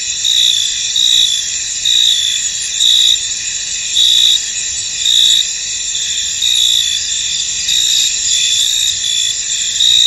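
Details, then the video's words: A misty field full of crickets, high continuous chirping in stacked bands with rhythmic louder pulses about every second, no other animals or noises standing out. "Tranquil Cricket Sounds In An Misty Field"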